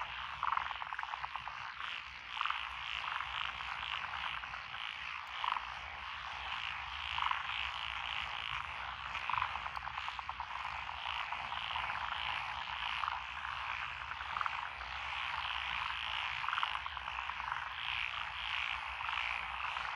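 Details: Rice-paddy frog chorus among lotus fields in Echizen, Fukui Prefecture, June 2021; an unbroken rattling, croaking mass of many callers, punctuated by brighter notes every couple of seconds.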